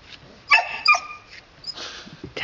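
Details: Red Standard Poodle puppies playing outside with their father let out a couple of short, high, tonal yelps near the middle, followed by rustling scuffles and a man's voice at the edges.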